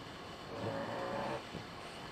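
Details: French Bulldog snoring while asleep with its eyes open; a single rough, breathy rasp swells for under a second, then fades back into soft background noise.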